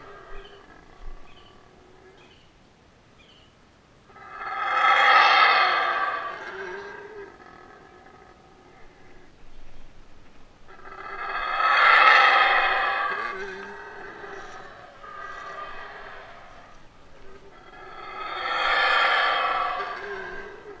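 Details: Close-range howling of a Yucatan black howler monkey during a feed at a wildlife rehabilitation centre: three loud, rough roaring bouts, each about two to three seconds long, spaced roughly seven seconds apart, with softer grunts between them.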